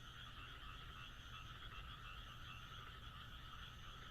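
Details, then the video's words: Frogs calling on a moonlit night in the Japanese countryside: a dense, unbroken chorus of overlapping trilling croaks at two steady pitches, with a constant low hum underneath. "田舎の月夜 カエルの鳴き声"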